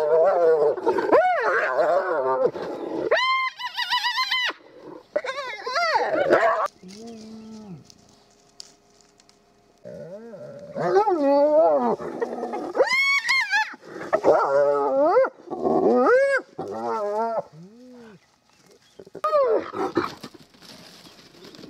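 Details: Spotted hyenas in Kruger National Park, South Africa, trade a rich mix of rising whoops, squeals and groaning calls at close range at their den, as the rest of the family returns to a mother feeding with her cubs.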